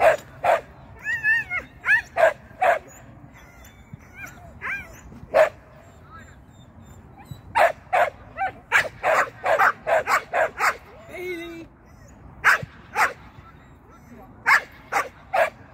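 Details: Sian, a Shetland sheepdog, at agility training on her first seesaw flyer and first tunnel run, lets out sharp, high barks in irregular bursts, with a few thin whining yips between them.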